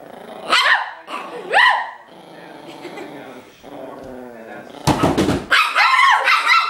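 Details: A furious, playful Chihuahua puppy barking at a person. Sharp, high-pitched yaps come near the start and again a second later, then a quieter stretch, then a final burst of rapid, rough yaps and growly barks.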